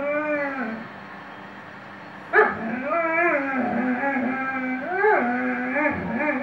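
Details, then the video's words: Weimaraner dog singing: drawn-out, wavering howls with rich stacked harmonics, sliding up and down, a sharp click near the middle, then several moaning rises and falls. "Weimaraner singing"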